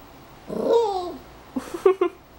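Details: Ti-Pou, a Yorkshire terrier, playing with his mini polar bear plushie in July 2012, indoors: a drawn-out, falling whine followed by a few short, clipped yelps in quick succession.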